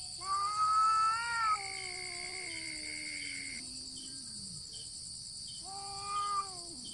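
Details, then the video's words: Two cats fighting without touching, just meowing: a loud wavering yowl fades into a long, slowly falling moan, then a final short wail. A steady high hiss runs underneath. "Cats Fighting with sound"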